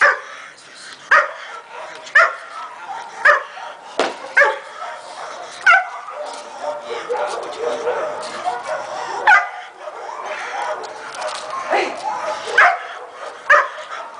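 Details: Young Belgian Malinois, one year old, barking steadily. Short, sharp barks come roughly once a second throughout, mixed with human voices and background noise.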